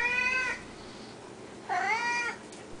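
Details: Siamese cats at feeding time, one named Samuel, known as 'the Mule', especially loud; fed three times a day. Two loud, drawn-out harmonic meows, the first steady and falling at its end, the second rising then bending down, separated by a quiet pause.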